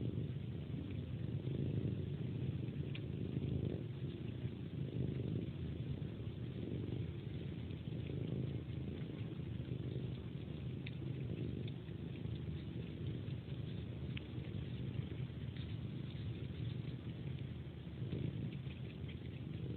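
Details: Before sleep, a pet cat suckles a hand like a pacifier and purrs, a steady low rumble sustained for the full stretch, with occasional faint clicking suckling noises on top.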